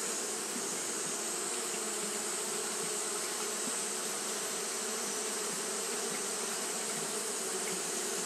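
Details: Continuous whirring drone of Japanese honey bees fanning on a hot day, low humming tones beneath a broad hiss, even in loudness from start to end.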